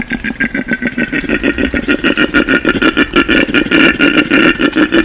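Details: A male koala gives a mating bellow to attract females: a deep, rasping, engine-like snore pulsing about three times a second.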